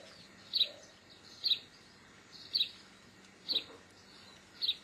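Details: Geoffroy's marmoset calling: five shrill, clipped double chirps, very high in pitch, spaced roughly one second apart against a quiet hissing background.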